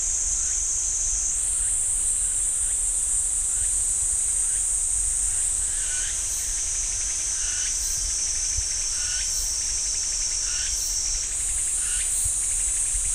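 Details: A steady shrill cicada drone fills the pine forest at Ssanggyesa temple, Jirisan, shifting pitch in steps, while short rising chirps repeat about once a second during the second half.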